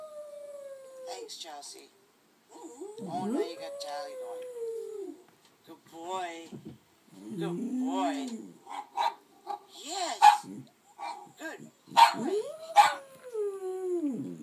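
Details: An oversized female Bichon Frise howls along with her little brother dog's barking, set off by hearing herself on a video. Her long, wavering notes slide up and fall away.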